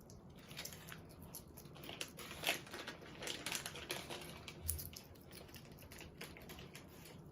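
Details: Pet hedgehog in a home in Japan eating, making crunchy, clicking chewing sounds in irregular bursts over several seconds in a quiet small room.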